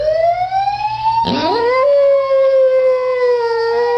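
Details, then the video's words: A "talking" dog gives a sustained, tonal howl, rising at first and then holding steady on a mid pitch for about four seconds. A short noisy burst interrupts it partway through. "TALKING DOG!"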